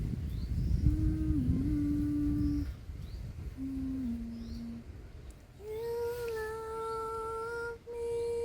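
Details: Large stray tomcat, never seen before, at an outdoor feeding of resident cats, tension building toward a cat fight; long drawn-out tonal wails, a lower moaning note then a higher sustained one with a rough low background.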